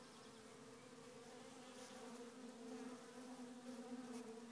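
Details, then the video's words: Honey bee colony without its queen, heard at the hive: a steady, dense droning hum with a low tone beneath a higher one, swelling slightly louder toward the end, with faint crackling wing noise throughout. "Ruchette bourdonneuse"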